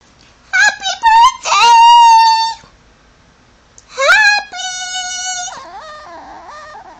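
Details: Chihuahua named Cosmo, a pet indoors, trained to mimic 'happy birthday' and 'I love you'. It makes drawn-out, tonal, howl-like vocal phrases with rising and falling pitch, in two bursts separated by a short pause.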